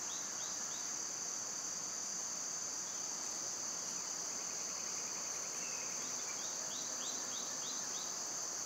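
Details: Summer cicada chorus, loud at this time of year: a constant shrill buzzing band runs the whole length, joined by repeated quick down-slurred bird chirps in two bursts and a brief trilled phrase midway.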